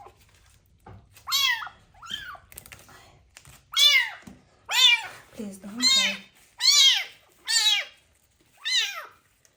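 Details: Kitten found abandoned on the street, with ringworm, crying during its first bath in medicated shampoo; a rapid series of short, falling meows about once a second, with faint background noise and a soft low voice.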